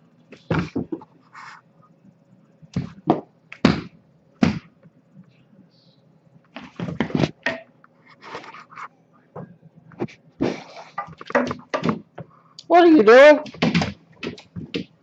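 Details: Great Dane; bark; inviting play at bedtime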